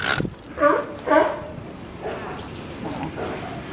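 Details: California sea lions at Santa Cruz Wharf on 26 March 2018 give hoarse, honking calls in quick bursts while feeding on shoals of small fish, with people's voices in the background.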